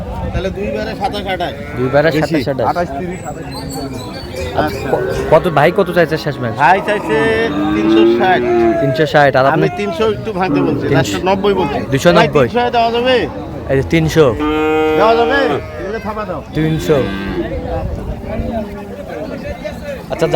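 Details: Crowded Ambari Haat market in Dinajpur on 9/3/25, where improved dairy cows and calves are sold: repeated moos from several animals overlap with loud human talk and shouting throughout.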